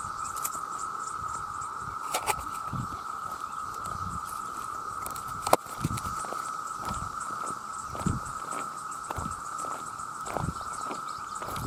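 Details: Vast numbers of male cicadas cry out for mates in a continuous, even drone, overlaid by scattered soft patters and sharp ticks through the recording.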